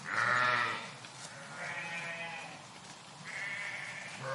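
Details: Flock of sheep in a park bleating: four quavering, nasal bleats, the first loudest and the others overlapping and fainter, spaced about a second and a half apart, with low background murmur.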